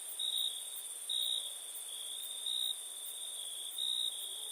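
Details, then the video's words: Night crickets in India: a continuous high ringing trill layered with a lower tone that rises into brief louder pulses about once a second. "Night ambience cricket sounds"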